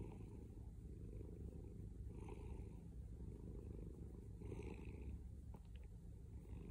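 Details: A male cat's deep, loud purr rumbles continuously, swelling with breaths about every two seconds, with a faint click late on.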